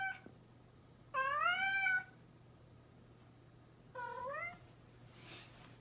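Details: A playful house cat gives a clear, long meow that bends upward and then falls, then a shorter, softer one a few seconds later. A faint breathy hiss follows, over a quiet steady hum.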